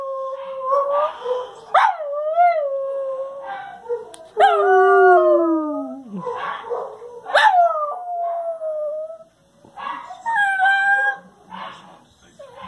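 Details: Howling dogs joining in when the noon whistle blows, as they do every time; long mournful tones climb sharply then fall away in sliding glides, several voices layered, with short yelps breaking in between howls.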